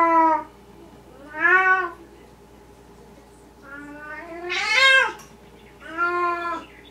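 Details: Night-time talking from Esmerelda, a Maine Coon cat indoors: a string of varied meows, short ones and a longer drawn call that swells into a louder, strained cry near the end, with a low hum underneath.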